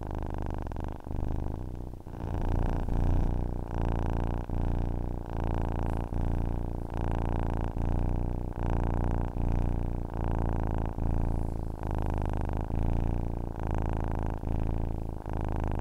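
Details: A cat purrs contentedly in a long, unbroken sequence. The deep vibrating hum swells and eases with each breath, with brief gaps roughly every second and nothing else audible.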